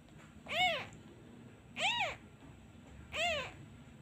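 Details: Lone abandoned kitten crying for its missing mother after a hand is lifted away, giving three clear, arched, high-pitched meows spaced a little over a second apart, each rising then falling, with a hushed room behind.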